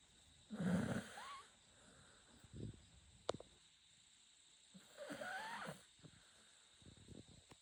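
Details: Chako, a Shiba Inu dog, snores while asleep: two long breathy rasping snores about four seconds apart, each with a wavering whine, with soft snuffles and clicks between them.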